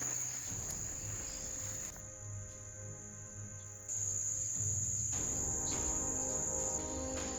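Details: Cicadas (chicharras) give a steady, high, hissing buzz running unbroken through the recording, a sound of the Uruguayan summer, heard on a steep trail up Cerro Betete, Uruguay, where lichen indicates clean air.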